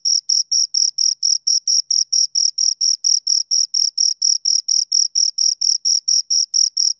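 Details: Two crickets producing a fast, regular run of shrill chirps, around four pulses each second, sharp and even in loudness, with nothing else audible.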